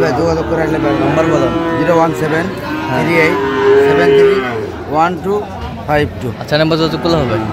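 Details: Sahiwal bull calf at a cattle market, bought by a farmer from Sirajganj, Bangladesh, on 5 August: a long, low, drawn-out moo with rich harmonics that swells and fades over a few seconds, with people talking and market chatter all around.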